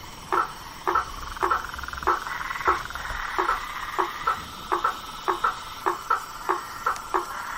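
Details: Blacksmith tree frog at night in a swamp, striking clipped knock-like notes at about a hundred per minute, spacing slightly uneven. A soft background buzz of other callers continues throughout.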